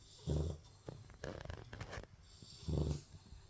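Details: Labrador Retriever puppy asleep and snoring: two deep, rumbling snores about two and a half seconds apart, with soft breathy snuffles between them in a quiet room.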